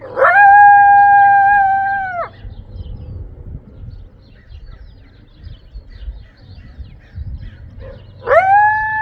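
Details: A coyote howls behind a house in Cypress, California, on April 21, 2025: a long, steady howl that breaks off abruptly, then another begins.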